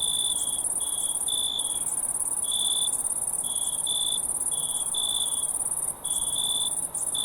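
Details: A crowd of wild crickets: continuous high-pitched trilling drone with louder chirp bursts of uneven length, some long and some clipped, coming in irregular groups over the constant background buzz.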